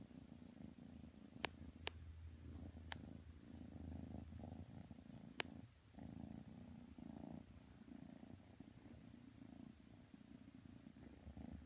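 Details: Kitten Matsumoto purrs in rhythmic low pulses, each breath cycle audible, while snuggling with pit bull Tanka; a handful of sharp clicks early on and a short pause near the middle.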